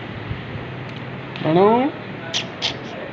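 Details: A domestic cat visiting a chamber as a guest gives one short, harmonic meow lasting about half a second, slightly wavering in pitch, against a quiet indoor background with people talking nearby.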